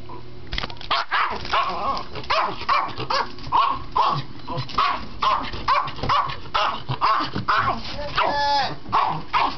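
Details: An excited dog getting ready for a walk barks loudly and rapidly, roughly two sharp barks a second in an uneven run, with a person speaking in the background.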